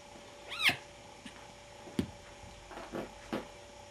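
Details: Nine-week-old kittens at play indoors; one gives a single short rising-then-falling meow early on, followed by soft scattered thumps and clicks of movement.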